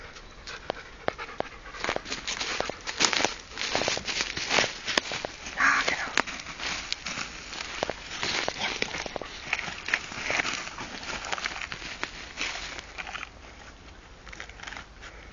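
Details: Kenzo, a Rottweiler, out in the forest near Nienburg carrying his 'little stick', panting in quick breathy bursts that repeat steadily throughout, with scattered rustling and footstep noises mixed in.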